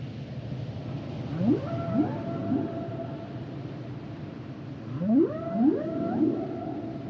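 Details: Humpback whale song: two clusters of rising, swooping moans that climb steeply, each sweep overlapping the next, with a steady higher tone drawn out above them against a low, rumbling underwater background.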